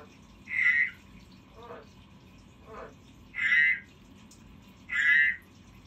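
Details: A kept frog giving three louder, clear, higher-pitched croaks spaced about two seconds apart, with two fainter, lower rattling pulses in between, against a quiet background.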